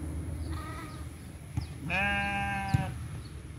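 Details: Goat in a village: one faint, short bleat, then a louder, steady, nasal bleat lasting about a second, with low background hum and a couple of soft knocks.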